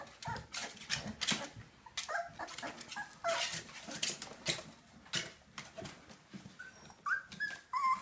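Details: Four-week-old Jindo puppies with their mother Zena, a four-year-old female in foster care, indoors. Short high yips and whimpers come in quick irregular bursts, ending with a few rising, whistly whines.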